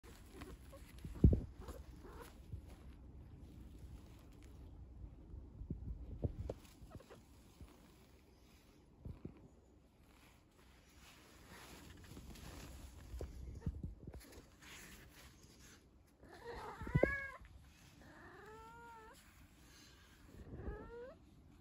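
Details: Trouble, a pet cat with a crush on a toilet roll: soft thumps and rustling of play, then near the end about three short, bending, chirpy meows in quick succession.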